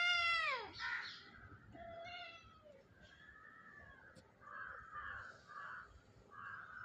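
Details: Mother cat in India with her kittens in a house backyard: one loud, downward-sliding meow, then several shorter, softer mews and muffled calls spaced irregularly over a few seconds.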